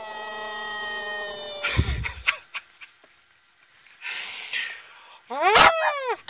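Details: A Boston Terrier named Sox, "singing", gives a steady, drawn-out howl, then a short rising yelp.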